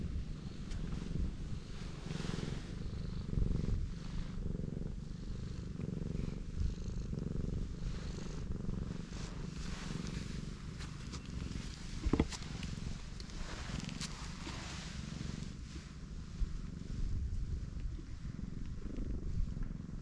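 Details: Black cat, pregnant, lying belly-up while her large belly is stroked; a quiet, steady low purr continues through the whole stretch, over faint outdoor hum and occasional soft clicks.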